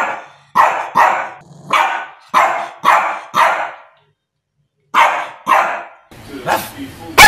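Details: Shih Tzu dog giving bursts of rough, mid-pitched barks in groups, a silent gap, then two more barks and some noisy rustling at the end.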